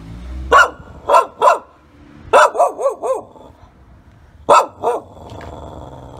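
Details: A Shiba Inu barks, reacting intensely, giving sharp, mid-pitched barks, some single and some in a quick run of several.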